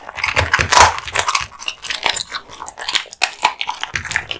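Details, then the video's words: Male American Bully named Kotetsu gnawing raw meat and bones. Loud crunches crowd the first second, then there are steady chewing and snapping bites with brief pauses and a soft low thud near the start. "Dog eating Raw Meats ＆ bones"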